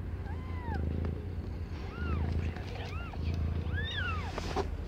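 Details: Birth of five differently coloured kittens to Aimee, a pet cat under a year old; about half a dozen thin, curving mews, some doubled, spread evenly across five seconds above a droning low-pitched hum.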